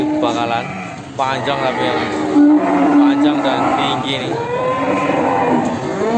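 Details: Simmental cattle, a bull for sale in Indonesia, mooing in short, tonal bursts mixed with brief speech and faint music.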